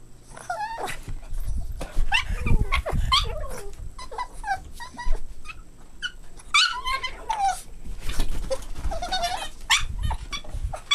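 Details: Playing Boston Terrier puppies give shrill, bending yelps and whiny squeals, often several close together, over steady low rumbling and bumping from their romping.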